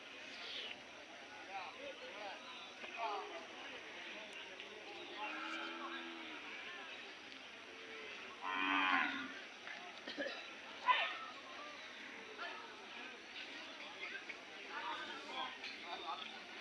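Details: Hallikar cattle at the weekly Sunday Jodugatte cattle fair market in India; low, drawn-out moos near six and nine seconds, heard through steady crowd chatter and Kannada conversation of the busy market.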